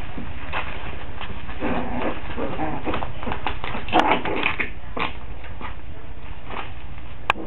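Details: Five-week-old Coton de Tulear puppies in Orange, Connecticut, giving short scattered whimpers and yips, with a sharper squeak near the end, over a constant low rumbling background noise.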